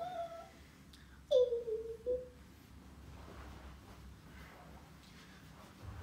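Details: Demi, a female Toy Poodle puppy around half a year to a year old, playing indoors in a small room: one loud whine sliding downward, a brief higher yelp soon after, then near silence with faint room noise.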